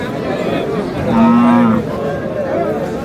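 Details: Thin, bony cow at the Aftabganj livestock market on 24 March, giving one steady, droning moo of under a second midway through, set against men bargaining over prices and general market chatter.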